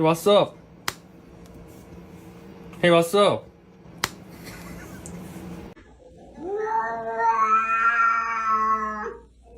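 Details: Cat giving a drawn-out, slightly rising, strained meow lasting about three seconds, after brief human voices and a few sharp clicks in a small room.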